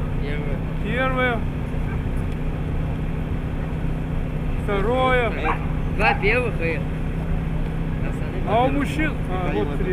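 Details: Siberian Husky at competitions in Nizhny Novgorod on 3 February 2017: bursts of high, arching whining yelps around one, five, six and nine seconds over a steady low engine-like rumble.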